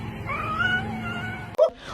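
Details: Domestic cat giving a single drawn-out wailing note, slightly rising then held steady for over a second, over a constant low electrical hum, followed by a short sharp knock and a brief higher sound at the end.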